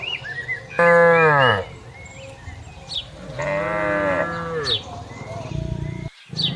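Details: Cattle grazing in a wide pasture give two long moos, the first loud and falling, the second softer and drawn out, amid bird calls and rustling.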